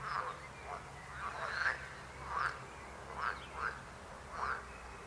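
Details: Frog croaks: short, nasal, duck-like calls repeated at uneven intervals, slightly more than one a second.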